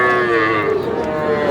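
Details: Sahiwal cattle at a Barishal market, Bangladesh: a short, sustained, even-pitched moo that slides gently up and down, set against crowd murmur.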